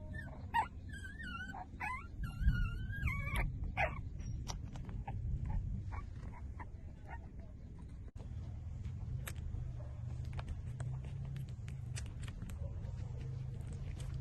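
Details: Newborn puppies, five days old, nursing from their mother: a run of high, wavering squeals and whines with bending pitch fills the first four seconds, then scattered soft squeaks and clicks over a low steady rumble.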